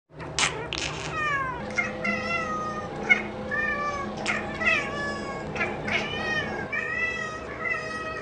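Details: Domestic cat meowing repeatedly indoors, a string of about ten short, wavering meows with bending pitch, roughly one per second, over a low background hum.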